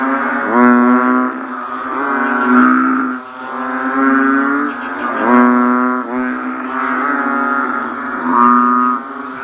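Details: Chorus of banded bullfrogs right after rainfall, with low, nasal, cow-like moans rising and fading in overlapping bursts, backed by a constant shrill insect hum.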